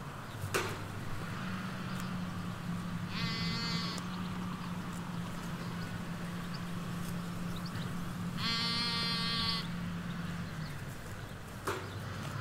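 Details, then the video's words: Ewes and lambs in a sheep field in the Hampshire countryside, recorded with a stereo M5 pair beside a hedge near a road: two long, harmonically rich bleats several seconds apart over a steady low engine-like hum. "4K Sheep Field - One Hour Sound and Video"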